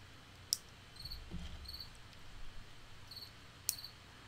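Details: A cricket inside a studio gives short, high, ringing chirps at uneven intervals over a low indoor hum, sounding like a summer night outdoors.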